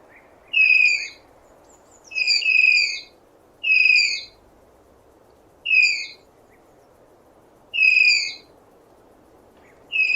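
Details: High, reedy tapir squeals, about six across ten seconds, some delivered as quick double notes, each slurring a little downward, over a continuous muffled hiss.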